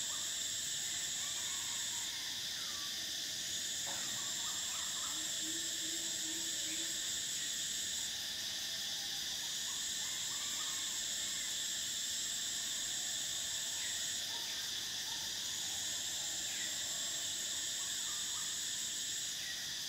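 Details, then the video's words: Cicadas in summer: a dense, unbroken high-pitched drone, with one shrill band that drops out and returns every few seconds above a steady buzzy layer beneath; faint low chirps flicker in the background. "Cicadas: the sound of summer"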